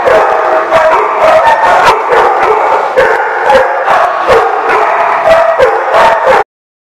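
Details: Many dogs barking together in a crowded kennel area, a dense overlapping chorus of sharp barks with some howling, continuous and loud throughout before stopping abruptly.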